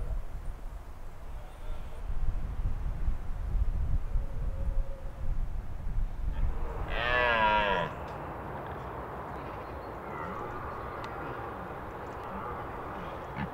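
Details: Wild red deer stag with his harem during the autumn rut in the Scottish Highlands: one deep, harmonic roar of about a second rising out of steady wind rumble, with quiet stretches of breezy background before and after.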